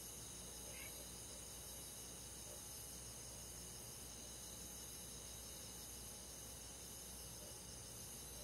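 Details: A summer-night countryside chorus of crickets and forest insects: unbroken high, buzzing trills stacked in steady layers, soft and uniform, with one brief rising chirp near the start.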